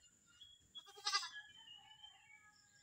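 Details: Newly acquired pet Visayan goat giving one short, wavering bleat, rich in harmonics and pulsing in quick beats for about half a second, then quiet against a faint steady hiss.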